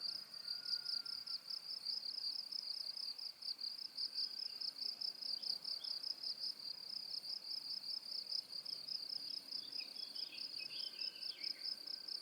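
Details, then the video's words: Cricket chirping, presented as a high-frequency masking sound for tinnitus relief, focus and sleep: a steady, shrill, rapidly pulsing trill that never pauses, with faint twittering bird calls scattered in the background. "고주파_귀뚜라미2 / High-Frequency_Cricket2"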